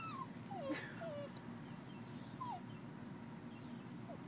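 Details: Young dog whining at a roadside culvert it longs to explore; a handful of faint, descending whistled cries come early, then fade into steady background hum and a brief rustle.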